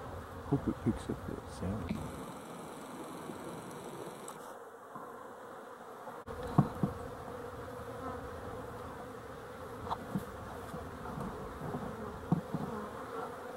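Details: Honey bees on 12-11-23 give a continuous humming drone, broken by repeated knocks and thumps, a short quieter stretch midway, then the buzzing resumes steadily.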